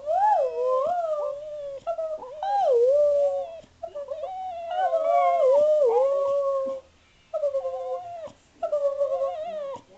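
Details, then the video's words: Spaniel answering back to its owner with long vocal 'talking': sustained wavering howls and whines that slide up and down in pitch, grouped into several bursts separated by brief silences. "Louis the Spaniel answering back!"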